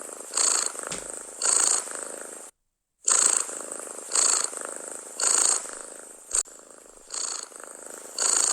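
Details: A cat purrs contentedly and loudly close to the microphone, its even rumble rising into breathy pulses near once per second, with a brief silent cut early on and a faint tick later.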